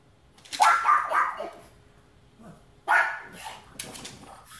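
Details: Guarding dogs give a quick run of rough barks, a pause, then another sharp bark followed by softer sounds.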